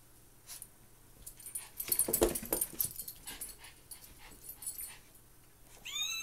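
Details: Two Maltese dogs at play: a cluster of short, wheezy snorts and scuffling bursts, loudest near the middle, followed by scattered softer huffs and a brief high rising whine at the very end.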